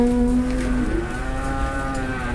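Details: Cattle being bargained over at a market in Indonesia. A steady, tonal low moo holds for almost a second, then fainter lowing follows against a constant market hum and distant traffic.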